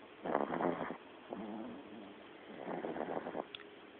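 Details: A tiny Lhasa Apso puppy, tired out and asleep, snoring loudly: two long raspy breathing bursts about two seconds apart, with a softer rumbling breath between them and a faint short squeak near the end.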